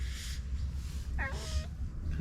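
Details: A heavyweight stray black-and-white tuxedo cat with a cute voice, one that lands a hard cat punch, gives a single short meow. The tonal cry has stacked overtones and bends downward, over a steady low outdoor rumble.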